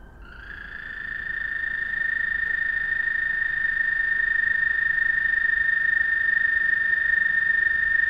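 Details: Frogs calling one another at night: a continuous high, even trill with faint overtones, swelling in over the first two seconds and then holding steady, with no other clear sounds.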